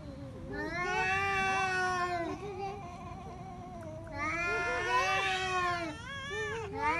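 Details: Fighting pet cats trade sustained, tense yowls, two long wavering howls with rich harmonics separated by a brief quieter growling gap, over low background rumble.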